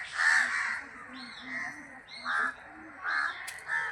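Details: Daytime bat roost in temple trees, huge numbers hanging upside down in summer shade; a loud harsh squawk, then three shorter grating calls spaced about a second apart over low background chatter.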